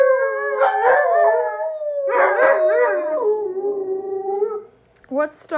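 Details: Alaskan Malamutes howling together after watching footage of themselves at sled dog training from late October. Long, smooth, wavering howls slide slowly downward with several overlapping voices, then a pause and a short higher yelp at the end.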